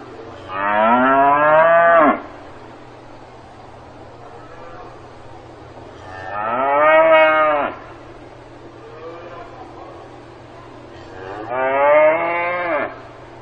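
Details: Cattle mooing on a farm, three long, rich moos of about one and a half seconds, arriving every five seconds or so and ending in a downward slide, with a faint softer call between them and a constant low background drone.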